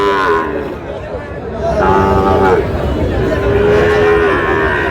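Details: Sahiwal bull calves at the packed Raniganj haat in Dinajpur district on 20 August; after a quieter start, one calf gives a rising, then level moo, and a second long moo follows, over market chatter.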